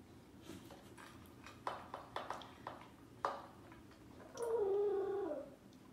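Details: Willo the corgi gives a short, wavering awoo howl after a few soft thumps and taps.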